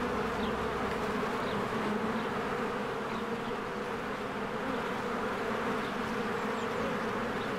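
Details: Bees swarming in and out of their hive in spring blossom season: a loud, level droning hum with a dense low core, a rustling texture on top, and a few faint high bird chirps.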